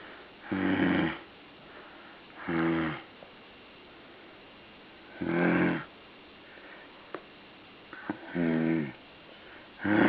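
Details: Rasping, snore-like breaths from a puppy come irregularly, five or six harmonic bursts spread over ten seconds with silent gaps, plus a few light taps in the background.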